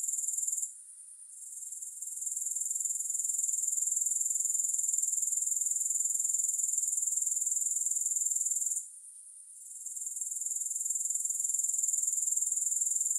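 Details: Grasshopper sound as a sustained, very high rasping trill with quick regular pulses. It dips into near silence twice, early on and around nine seconds, then rebuilds each time. No music accompanies it.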